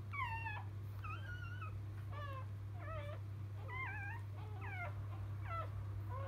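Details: Field-line Labrador Retriever pups moments after birth from their champion dam biscuit; short high whimpering squeals with bent, sliding pitch come about once a second, set against a constant low electrical hum.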